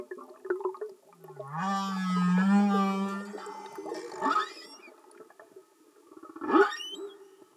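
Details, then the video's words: Humpback whale song, singing males in underwater stock recording: a long low moan with rich harmonics, then broadband pulsed units and a short rising cry, with a steady faint hum beneath. "Amazing singing Humpback Whales"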